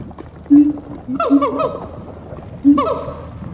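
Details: Siamangs dueling and fighting after morning calling and howling, giving loud, honking hoots that jump from a low tone to higher, wavering whoops.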